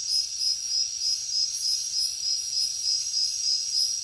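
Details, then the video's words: Night chorus of crickets in the jungle, a high, rapidly pulsed chirping throbbing at a steady beat roughly three times per second, layered with a faint, even higher insect buzz swelling now and then. "Insects sounds | Cricket sounds |Jungle night"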